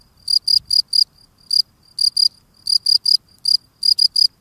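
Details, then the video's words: A field cricket sings while cleaning the doorstep of its burrow, giving clean, high, shrill chirps of three or four quick pulses each. "Field Cricket cleaning his steps singing"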